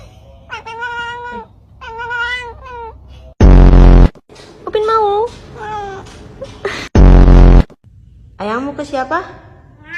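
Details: Pet cat "talking" indoors: a pair of arched, tonal meows rising then falling, followed by further wavering meows, interrupted by loud harsh bursts and a person speaking Indonesian to the cat.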